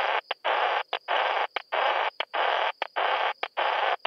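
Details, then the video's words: Song of Isophya kraussii, a bush-cricket filmed in Solnhofen, Germany, 17 June 2021, heard as regular rasping buzzes of roughly a third of a second, each split by short pauses and clipped ticks, repeating steadily throughout. "Isophya kraussii -- Gemeine Plumpschrecke"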